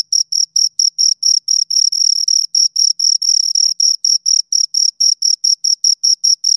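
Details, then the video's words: Close-up chirping of two crickets: crisp, piercing pulses in a quick regular beat, some slightly longer, with silence between them and no background noise. "Two Crickets Chirp Sounds for Two Hours Right on Your Ears"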